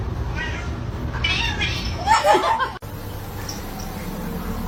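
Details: Kitten meowing: a short run of brief, tonal meows in the middle of the recording, over a steady low background hum and some faint noise.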